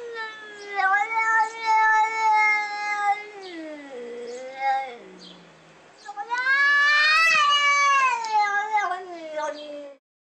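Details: Domestic cat described as possessive and devilish, caterwauling in long tonal yowls that dip low in the middle and then swell into a louder rising-and-falling howl that trails off.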